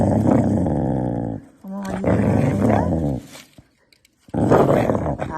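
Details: Corgi dog, from a collection of funny corgi dogs and puppies, giving loud, rough, harmonic growling and grumbling vocalizations in three long bursts, with a short near-silent gap before the last burst.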